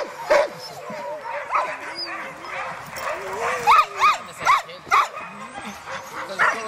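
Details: Alaskan husky sled dogs at a Målselv musher gathering in Norway, September 2009, giving high yips and short whining barks, several clustered near the end about every half second, over a low background of other dogs.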